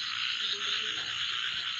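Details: Night chorus of many kinds of frogs, small and large water frogs among them, heard outdoors in the dark: a dense, steady high-pitched trilling wall of sound with no clear gaps.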